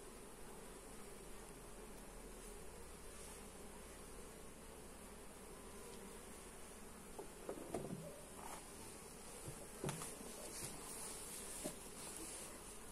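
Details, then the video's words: Buzzing of honey bees at an open hive during inspection, phone-recorded on a Xiaomi Redmi Note 8; a dense, even hum fills the clip, broken by a few soft knocks and rustles around the middle. "Hive inspection - Bee sounds ASMR relaxation"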